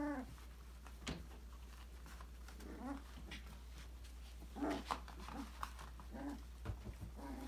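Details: Australian Labradoodle puppies, five weeks old, from Autumn's December 2020 litter, having fun exploring a puppy enrichment playground indoors; soft tonal yips and whimpers come in short clusters, mixed with knocks and rustling from play.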